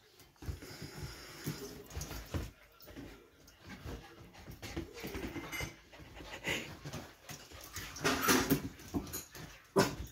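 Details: Wheaten terrier mix puppy, worked up while being teased by its mum and little sister, gives low grumbling whines and short strained cries in uneven bursts, with rustling and sharp knocks around it.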